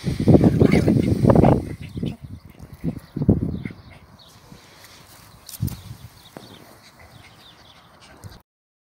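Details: German Spitz mother disciplining her puppy: a loud, rapid, rough growling and snapping burst in the first few seconds, then shorter low growls, fading into quiet near the end.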